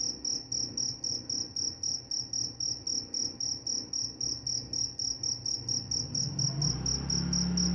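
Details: Regular high cricket chirps, several per second, continue throughout while a low droning hum, like a passing engine, rises toward the end; the cricket sound is said to aid sleep and scare off mice.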